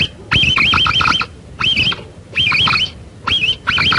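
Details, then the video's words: Capybara call used to attract the animal closer: short runs of three to five wavy, whistled chirps with a looping up-and-down pitch, separated by half-second pauses, low hum underneath. "sonido del carpincho"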